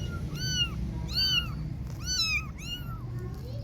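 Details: Kittens outside at play meowing four times in quick succession, each call an arched, slightly falling wail under a second long, with a low steady rumble behind.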